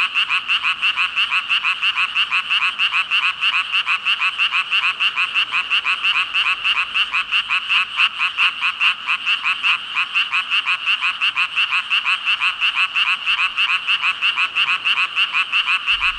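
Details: About five thousand frogs calling together in a continuous, fast-pulsing croaking chorus, unbroken and steady throughout, many voices merging into one high rattling drone.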